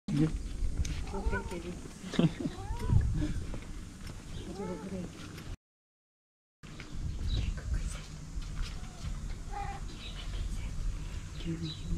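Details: Stray tabby cat in Istanbul, waiting every morning in the same place for the person who feeds it, gives several rising-and-falling meows over the first five seconds while a person talks to it; traffic-like background noise continues.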